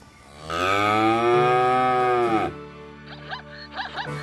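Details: Cow mooing on a farm: one long, steady lowing call of about two seconds, followed by quieter faint background sounds with short chirpy blips.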